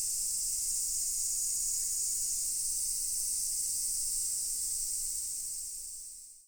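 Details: Cicadas chorusing at Daichū-ji temple in Ōhira, Japan: a dense, unbroken high-pitched buzzing drone, steady in loudness, fading out at the very end.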